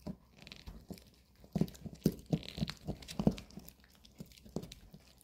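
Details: Two pet dogs, Bomi the Maltese and Coco the long-haired Chihuahua, eat weekend dog chews indoors in a small room; sharp crunches and gnawing bites come in uneven bursts, some loud, with quieter chewing between.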